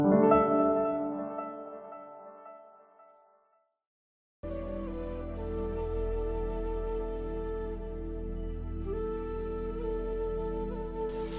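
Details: Gentle ambient music plays throughout, a fading passage followed by a brief silence and then a fuller sustained chord. No animal voices can be picked out.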